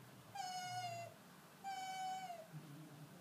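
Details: Pet fox indoors, drowsy and unhappy at being roused from daytime sleep, utters two drawn-out even whines that dip slightly at the end, about a second apart, with faint room noise.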